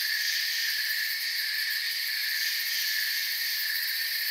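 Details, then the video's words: Crickets in a forest chorus, a dense steady high-pitched shimmer of overlapping chirping with several even tonal layers and no breaks, loudness unchanging throughout; no other clear sounds. "Forest Sounds and Crickets"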